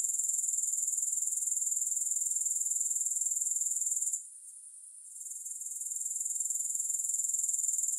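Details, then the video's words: Grasshoppers keep up a high, evenly pulsing shrill for about four seconds, then fall briefly quiet, then return and steady again. No music is heard. "3 Hours of Grass Hopper Sounds"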